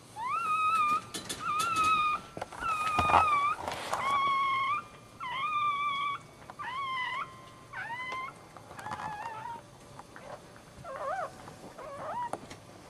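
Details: Right after birth, the first puppy of a Dachshund litter, a male newborn, cries repeatedly: about ten thin, high whimpering wails, some level and some bending up or wavering, spaced roughly one to two seconds apart, in a quiet indoor room.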